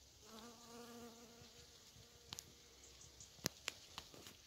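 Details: Honey bees visiting raspberry fruits in October; a steady low humming buzz with stacked overtones for about a second and a half, then fading, followed by a few sharp clicks and taps.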